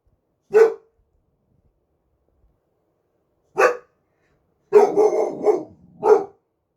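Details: A one-year-old Boxer dog barking during the night gives single deep barks, then a rapid burst of several barks.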